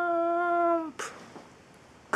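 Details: Pet cat indoors, filmed while Theo and Thea show their different ways of nuzzling: one long, level meow with rich harmonics holding for nearly a second and dipping slightly at its end, then soft thumps and rustling.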